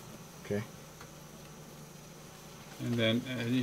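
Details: Swarm of honey bees that moved into a house, giving a low, steady droning hum that runs unbroken through the whole stretch, with a short human voice near the start and more talking over the buzz toward the end.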